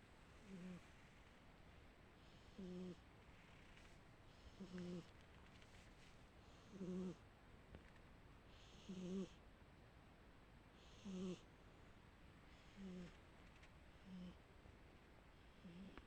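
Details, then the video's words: Sleeping domestic cat snoring steadily: low, buzzy, harmonic snores repeating about every two seconds, each a short nasal rasp with breathy hiss between breaths, in a quiet room. "Кошка, которая храпит"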